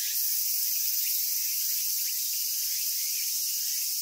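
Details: Cicada sound recorded in Japan, a continuous dense high hissing drone without breaks, with faint short chirping notes scattered underneath.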